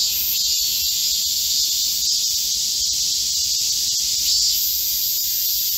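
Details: Korean cicadas chorusing in a green forest at midsummer during a heatwave, 25 July 2024: a dense, unbroken high buzzing wall of sound, steady in loudness, with no other clear voices.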